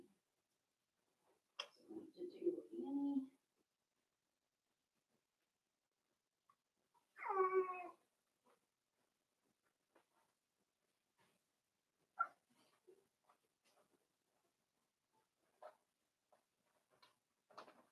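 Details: Daisy's four-week-old Cavalier King Charles Spaniel puppies inside their pen: a wavering, harmonic cry early on, then a louder, rising-and-falling whine, followed by scattered faint squeaks and small knocks in a quiet room.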